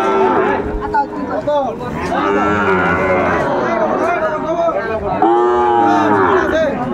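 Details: Sahiwal bull calves at Ambari cattle market, Dinajpur, Bangladesh, 11 March 2024 at the start of Ramadan: several overlapping deep, drawn-out moos with rich harmonics, rising and falling, over a steady market hubbub.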